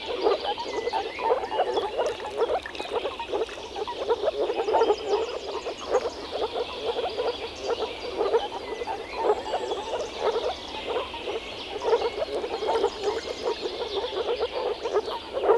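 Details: Frogs at a pond or wetland in the Czech Republic form a dense chorus of rapid, overlapping croaking pulses.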